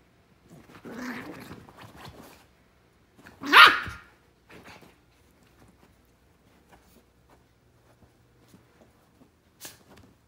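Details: A toy fox terrier digging in his new bed gives a low growl early on, then one sharp, loud bark, followed by near silence with faint scratching and rustling.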